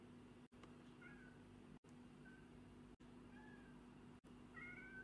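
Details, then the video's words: Black and white pet cat giving soft, brief meows, some slightly rising, between sharp cuts of a compilation, with a constant low hum underneath. "Funny Cat Meow Compilation"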